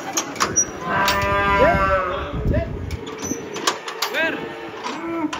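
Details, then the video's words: Angry banteng that escaped while being unloaded from a truck, giving a drawn-out harmonic moo about a second long, followed by shorter rising calls; people shout nearby and clanks sound in the background. "AWAS BANTENG NYA NGAMUK LEPAS TURUN DARI TRUK"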